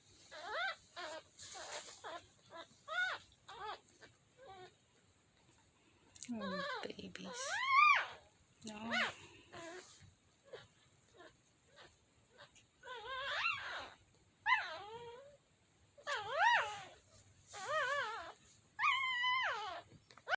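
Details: Mini dachshund puppies in Lithia/Tampa, Florida, on April 2, 2021, give high, thin, rising-and-falling whimpers and occasional longer wailing squeals in irregular bursts, with a person speaking softly now and then.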